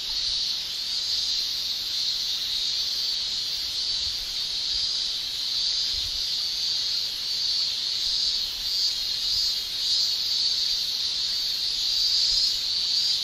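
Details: Long unbroken shrill drone from male cicadas in Japan in summer, tymbal song holding one high pitch band, with soft repeated surges in volume and no birds or voices.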